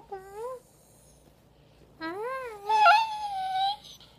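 A Chihuahua-Basenji mix dog cries with drawn-out, wavering whines that rise and fall in pitch.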